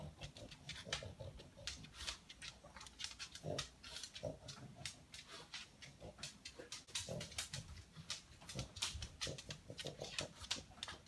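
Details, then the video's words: A male pet pug snuffling to locate leftover food pellets, sounding like a noisy vacuum cleaner; soft, rapid, breathy snorts and sniffs run continuously at low volume throughout. "My Pug Has Turned Into A Noisy Vacuum Cleaner"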